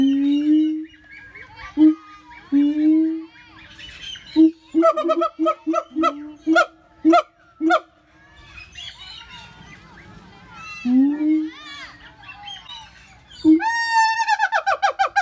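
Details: Siamang calling: low booming notes repeated in a stuttering series, with sharp barks, then loud rising whoops climbing in pitch in quick succession near the end.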